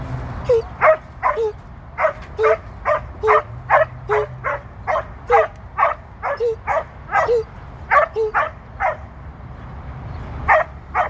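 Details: Female Border Collie in hunt mode during her second sheep-herding run with a trainer on 1 June 2023: sharp, high yelping barks repeated about twice a second, over a steady low rumble.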